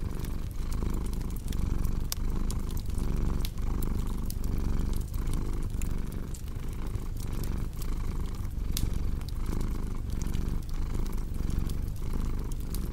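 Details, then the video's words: Domestic cat purring steadily beside a crackling fireplace, a low continuous rumble pulsing in breaths roughly every half second, with sharp wood crackles and pops scattered throughout. "Purring Cat with Cozy Crackling Fireplace Sound"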